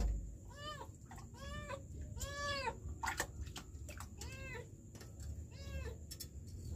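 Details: Trapped kitten crying from a sewer in Kenya: a run of clear arched mews, five or six in under seven seconds, each rising then falling, with low rumbling and a few sharp knocks behind.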